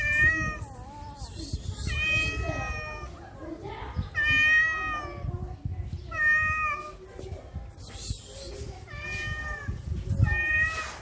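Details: Stray cat in heat in Morocco, sexually aroused, giving a series of drawn-out, wavering meows every two seconds or so, each rich and harmonic with a slight wobble in pitch, over low background rumble.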